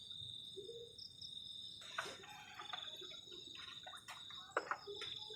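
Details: Crickets on a cold night by a garden shelter during solo camping keep up a steady, high, shrill trill beneath scattered clicks and clattering from nearby cooking and handling.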